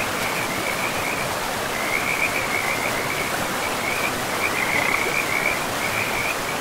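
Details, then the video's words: By a forest river, frogs give a high pulsing chorus that grows clearer in the second half, while the rushing stream fills the background with steady noise. "River and Frogs sleep sounds"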